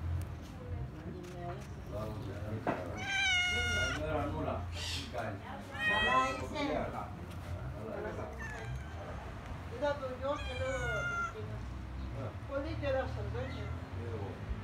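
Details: Cats near the sea at Kaloi Limenes, Heraklion, Crete, give three loud, drawn-out wavering meows about three to four seconds apart, over a woman talking in Greek and a low background rumble.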